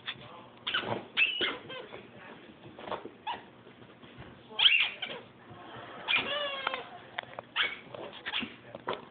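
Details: Bailey, a pet dachshund, playing at burying a squeaky toy indoors; short whiny whimpers and squeaks come in scattered bursts over nine seconds, one with a falling harmonic whine, amid light rustling and a brief word from a person.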